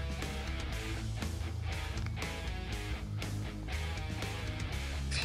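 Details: Steady instrumental music with strummed and plucked guitar and a deep, pulsing low end; no animal voice comes through.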